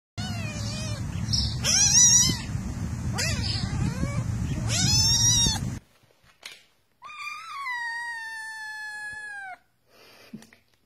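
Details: Domestic cat in a compilation of talking cats: several harmonic meows rising then falling, the first over a low rumbling background, then a long steady drawn-out meow gently sliding down after a pause.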